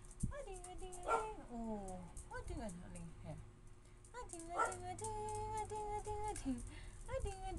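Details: Arguing Siberian Husky mixes short yips with sliding, wavering howl-like moans; two sharper barking bursts land near the start and middle, with held, dipping tones between them.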